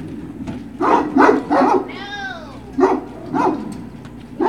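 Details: Great Dane puppies at Puppy Hill on 21 March 2019, late morning: short, yappy barks in quick clusters, broken midway by one drawn-out, arching whine with clear overtones, then more bursts of barking.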